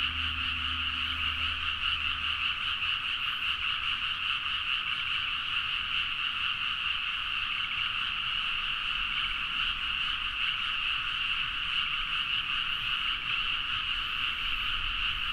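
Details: Many frogs calling together late at night in paddy fields near Nagaoka, Niigata, Japan, captured with a Zoom H4n: an unbroken, busy mass of quick croaking notes, steady in level, with a brief low hum in the first two seconds.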